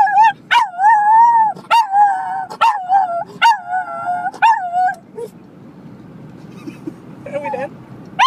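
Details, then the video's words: A dog howls in response to a car horn. Long, wavering, musical howls are broken by short barks and yips, then fade to quiet background before one last rising howl. "Howling at a Car horn"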